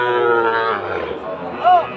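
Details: Sahiwal breed bull calf, fattened for sale at the Aftabganj cattle market, Dinajpur, 4 March 2023. A short, resonant moo opens, followed by voices and a brief higher call near the end.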